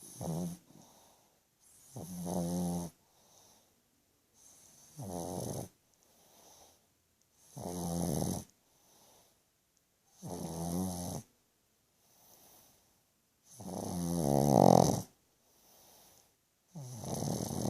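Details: A sleeping pug named George snoring loudly indoors: deep, rattling rasps on each breath, roughly every three seconds, separated by quieter exhales and near-silent pauses.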